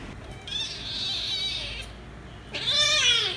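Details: Angry kitten fighting with a calico cat after wanting to play: a long strained wailing cry held for over a second, then a sharp rising-falling meow, with a low indoor hum beneath.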